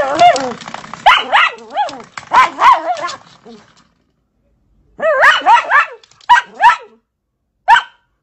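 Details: Dachshund fighting and playing with a door stopper: a dense run of sharp, high yapping barks, then silence, then short single barks in bursts spaced about a second apart.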